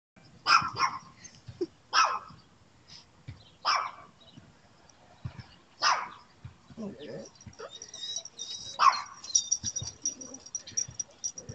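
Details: A pet dog barking toward the neighbour's dog, calling for her and hoping for a response; short sharp barks spaced about every one to two seconds, with a fainter distant bark and a high whine-like tone later, quiet background.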